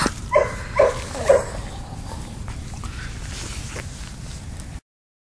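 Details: Daisy the dog, thrilled at finding other dogs along the fence on the little dog side of a park, lets out three quick barks within about a second. Quiet background follows.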